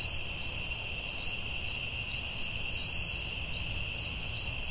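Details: Night crickets calling in the forest, a continuous high ringing hum layered with regular short chirps, roughly two or three each second, and a soft low background rumble.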